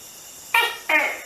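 A tokay gecko gives two loud, harsh, nasal barks in quick succession, each dropping in pitch, over a quiet indoor background.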